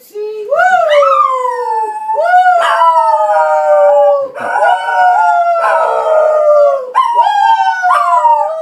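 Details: Scottish Terrier howling along as an elderly woman sings with it; long sustained wavering howls that slide upward then hold, in three drawn-out phrases with rich harmonics.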